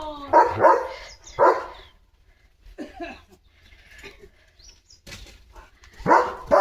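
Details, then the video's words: Leo, a German Shepherd, barks while running about a home courtyard in the morning: two loud, rough barks a second apart, a quieter stretch with faint murmuring, then a final hard bark. "Leo The German Shepherd ची भयंकर सुरुवात 🐾 | सकाळची धमाल भुंकत पळत एंट्री!"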